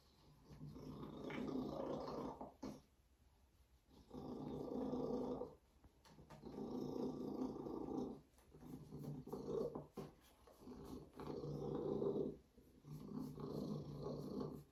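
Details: A steady, throaty purr from Binah, a female Savannah cat, rising and falling in repeated rumbling bursts of roughly two seconds, with short breathing gaps between them and faint rustling in the background.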